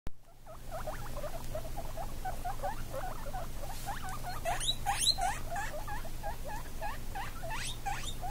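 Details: Seventeen-day-old baby guinea pigs with their mother: a rapid stream of short, high squeaks and chirps, many sweeping upward, repeated several times a second over a steady low hum.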